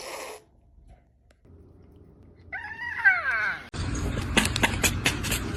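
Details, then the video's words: Cat giving a single wavering meow that slides downward after a quiet stretch, followed by loud rattling and scraping noise. "The sounds made by cats"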